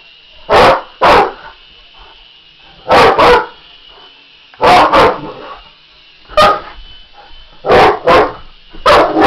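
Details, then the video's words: Barks from an English Mastiff confronting a remote-control helicopter, coming in paired or single loud woofs roughly every one to two seconds over a constant high-pitched rotor whine. "English Mastiff VS RC helicopter"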